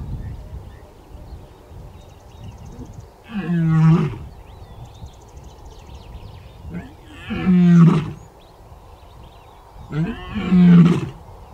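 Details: Deep, grunting roars from a lion in the African bush, repeated about every three and a half seconds against a low rumbling background. Faint bird chirps are heard between the grunts.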